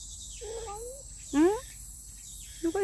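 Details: Street cat at an old feeding place making short wavering mews, one louder call rising steeply, then two brief chirps at the end, amid a woman talking softly and a steady high hiss.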